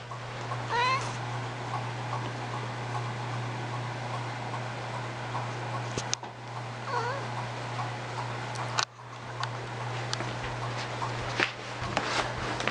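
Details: Old indoor cat walking around on the floor gives a short, rising-falling meow near the start and a fainter one midway, over a steady electrical hum with occasional thumps and bumps.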